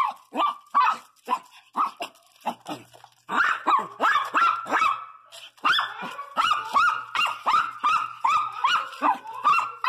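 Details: Pregnant female pinscher giving a long run of high, yappy barks, roughly two to three per second, uneven in spacing, some doubled, loud and clipped with short echoing tails.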